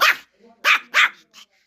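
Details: Pomeranian guarding its hide, angry at being approached: three sharp, high barks in quick succession, the last followed by a softer yelp, with low growling between them.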